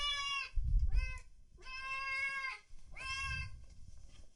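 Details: Cats and kittens meowing loudly: three drawn-out, harmonic-rich cries of about a second each, with low rumbling thumps and background noise underneath.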